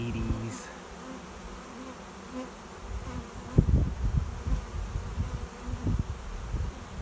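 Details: Honey bee swarm arriving at a swarm trap behind a garage, a cloud of bees flying overhead before settling into their new home; low, steady droning hum broken by gusty rumbling bursts in the second half.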